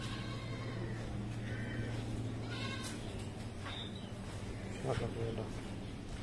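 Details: Male goats offered for sale at Patenga, Chittagong, in 2022; faint, wavering bleats with stacked harmonics come around two seconds in and again near five seconds, half-masked by a steady low hum and murmuring human voices.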